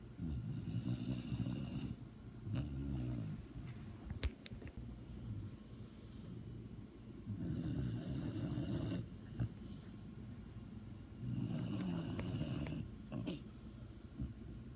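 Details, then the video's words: Sleeping dog snoring: rough, low rumbling breaths in long bursts of about two seconds, with quieter pauses between, some snorts and a faint high hiss on each breath. "THE SNORING DOG"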